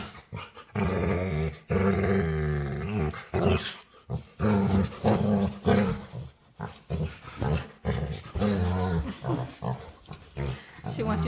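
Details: A female dog makes low, wavering groans and growly whines, begging to play and seemingly asking to have her face rubbed.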